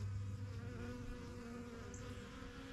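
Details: Honey bees at a strong yellow backyard hive from a beekeeping start in spring 2023, flying in and out; a steady deep buzzing hum of many wings with a few louder passing drones.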